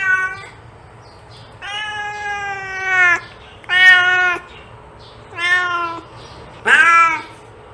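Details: Domestic cat meowing indoors, four drawn-out harmonic meows, some lasting over a second, with slightly falling pitch and quiet pauses between them; a faint steady hum underneath.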